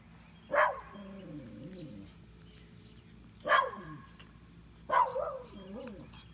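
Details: Yorkshire Terrier eating Calibrachoa flowers, recorded 14 May 2018: three short barks about two seconds apart, each with a wavering, descending whine after it, over a steady low hum.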